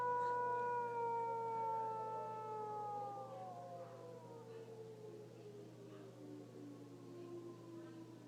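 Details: Suka, a dog, howls along with a tornado siren: long wailing tones that slowly fall in pitch and fade over about eight seconds, the rising and falling siren blending with the dog's voice.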